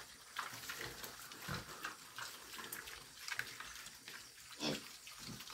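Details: Several pigs feeding, noisy while eating: irregular wet slurping and chomping bursts with a few short low grunts, over a steady splashing, watery background.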